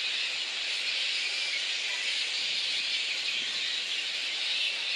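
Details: Little red flying foxes massed at their roost in Boonah, Queensland, Australia, on 19 February 2014, ahead of the dispersal. An unbroken, even sheet of high-pitched squealing chatter carries throughout with no other clear sounds.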